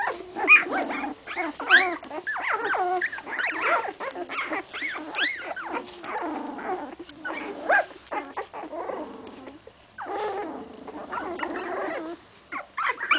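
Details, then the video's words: A litter of English Cocker Spaniel puppies, 16 days old, in a kennel, giving scattered rising and falling squeaky whines and yelps with short pauses between bursts, several pups calling over one another. "English Cocker spaniel puppies - 16 days old"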